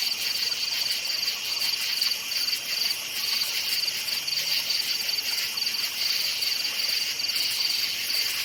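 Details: A forest at night filled with cricket chirping: quick, high-pitched pulsed chirps repeated in an even rhythm over a continuous shimmering insect background.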